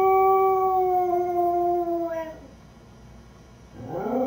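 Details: A beagle mix named Lucy, left home alone, finishes a steady howl that trails downward and fades, then after a pause starts a new rising wail.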